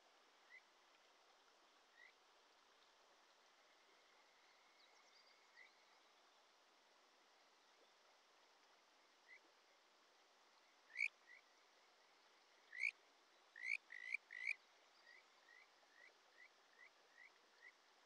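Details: Kajika frog (Buergeria buergeri) singing in early July by a Shin'etsu mountain stream in Japan, clear bird-like rising whistles over the steady rush of the water.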